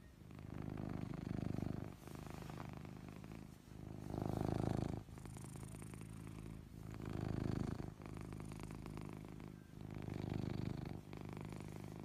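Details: Anko, a fluffy Ragdoll cat living at a family home, snores while sound asleep indoors: low, rumbling, breathy snores come in long swells about every three seconds, with quieter gaps between them.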